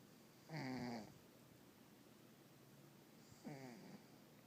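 A Russian Blue cat snores in two slow, rasping breaths about three seconds apart.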